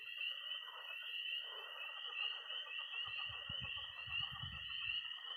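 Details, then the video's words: Early spring night in Missouri: tree frogs peeping, toads trilling high and steady, and pond frogs croaking in a thick overlapping mass, joined in the last seconds by low knocking thumps. "Relaxing sounds. 20 minutes of toads and frogs, sound only!"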